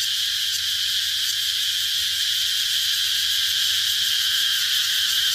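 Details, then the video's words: Cicadas producing an even, piercing, high buzzing drone with slight rhythmic wavering and no pauses, a soft low hum in the background. "Cicada sound"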